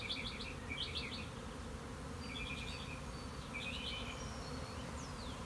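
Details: One honey bee colony swarming, March 26, 2021: a steady low humming roar underlies everything while a nearby bird gives short clustered chirping bursts about once a second.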